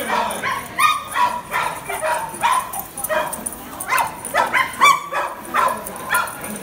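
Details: A Cairn Terrier chasing a lure gives quick, sharp, high barks and yips in an excited, uneven run.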